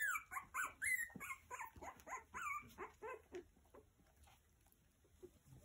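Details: Three-week-old Havanese puppies, Meri's litter, giving a rapid series of high, squeaky whimpers and yelps that slide up and down, about three per second at first and then fading into softer, quieter squeaks.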